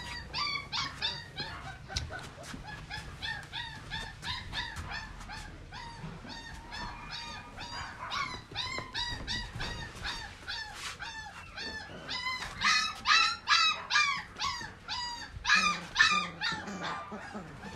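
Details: Border Collie, mother dog imported from Australia: a dense run of high whining yips and whimpers, several per second, growing louder and more urgent toward the end, with overlapping cries suggesting more than one dog.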